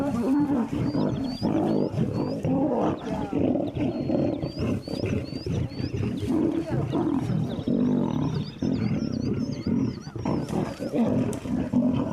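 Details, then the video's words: Captive lions squabbling over pieces of beef, the big male keeping the largest portion and lionesses fighting back; continuous rasping snarls and growls, with repeated chirping bird calls overhead. "lionesses have to succumb to his supremacy and, despite fighting back, have to concede and settle for whichever piece Shredder doesn't want."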